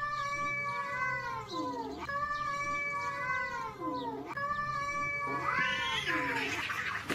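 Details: Cats fighting, giving drawn-out wavering caterwauls that dip and rise again, three long howls in a row, each about two seconds, with harsher spitting noise near the end.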